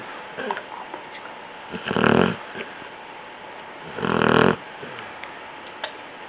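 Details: Basset hound asleep indoors gives two loud, grating snores about two seconds apart. Each snore swells and fades over half a second, with soft breathing noises in between.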